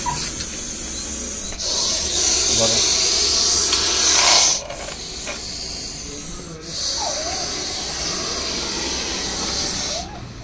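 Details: Snake hissing, a loud broad breathy hiss in long sustained bursts separated by short breaks, with faint background voices.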